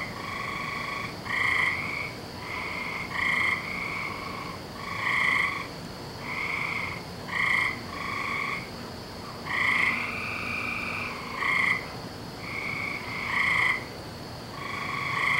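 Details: Frogs calling on a May night, 17 May 2012, during the season when they call every night; overlapping, steady, reedy trills of about a second each keep recurring in a dense chorus over a faint background hiss.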